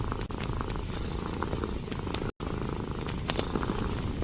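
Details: Contented cat nestled close to a crackling fire, eyes shut and paws tucked; continuous deep purring throbs underneath scattered snapping log crackles, with one brief silent break near the middle.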